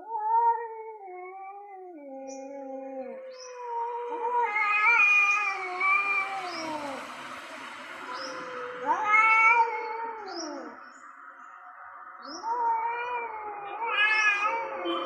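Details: Male cats, one orange and one grey, call loudly at each other before a territorial fight. Overlapping wailing yowls bend up and down, rising into strained, rough peaks and trailing off in falling moans.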